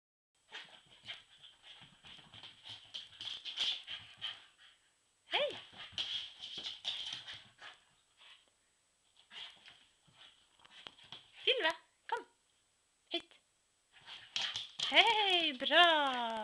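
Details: Female Keeshond dog playing with her favourite soft pig toy, trying to kill it; bursts of rough, broad growling and snarling in uneven spells, ending with a loud rising and falling whine, with a person speaking briefly.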